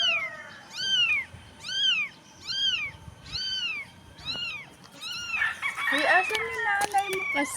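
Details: Tiny stray street kitten, apparently without its mother, cries in a steady series of high arched meows, roughly one per second, then a burst of overlapping voices and rustling as a woman speaks to it gently.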